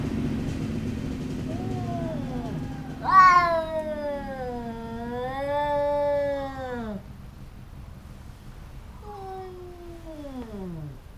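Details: A cat fight between two cats that often quarrel. Soft low rumbling opens the scene, then a sudden loud, harsh yowl holds for about four seconds. A fainter, falling wail comes near the end.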